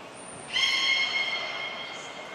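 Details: Captive beluga at Port of Nagoya Public Aquarium during a shortened training session on 25 July 2021. A single steady, high tonal whistle with bright stacked overtones begins after a brief pause, holds level, and then slowly fades.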